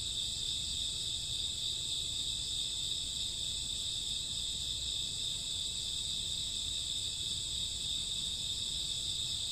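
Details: Crickets and grass insects on a summer or autumn night at midnight, producing an even wall of high-pitched trilling, steady in loudness from start to end, with quiet low-frequency background.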